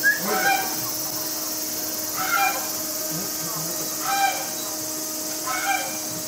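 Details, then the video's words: Frightened capybara mother Momiji, kept in a separate enclosure at Nagasaki Bio Park with her babies Choco and Donut, just over four weeks old, terrified by a film crew intruding. Four harmonic whining cries come about every two seconds over steady hum. "Capybara Sounds: The Cry Of A Frightened Mother Capybara and Her Baby"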